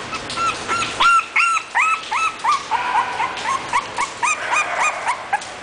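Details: English bulldog giving rapid, high-pitched yips and whimpers, each a short rising-then-falling note with bright overtones, several per second in an irregular rhythm, with some notes overlapping as if from more than one dog.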